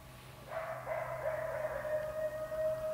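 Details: Wolves about 60 yards off after chasing a deer, with coyotes joining; a howl swells in after half a second and holds level, overlapping voices with a faint steady hum underneath.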